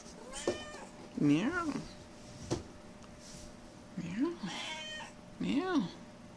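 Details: Domestic cat wrestling and playing with a fox tail, giving three short arched meows that rise then fall, spaced a few seconds apart, while a person talks and encourages it between calls.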